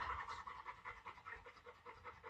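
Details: Quick, quiet, rhythmic panting from one of two pet dogs, a Labrador called Laoda and a Teddy called Shiliu, held in a patience contest; breaths come steadily, several per second, with no other clear sounds.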